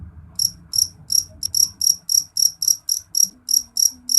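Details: A jeliteng cricket calls loudly and shrilly in sharp, pulsed chirps repeated about three to four times a second, each chirp high and bright, with a faint low hum underneath.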